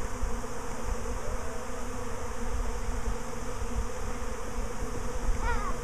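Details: Bees swarming for a second time in a week, leaving and not returning to the hive. There is a continuous low, rough humming drone throughout and a faint short voice near the end.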